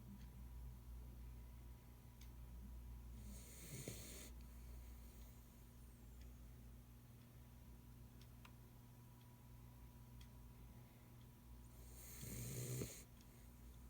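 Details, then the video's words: A pit bull named Ace sleeps indoors after working all day, snoring very loud: two broad, raspy snore bursts about nine seconds apart, each a noisy rush with low rumbling, over a steady low hum. "Ace the snoring Pit"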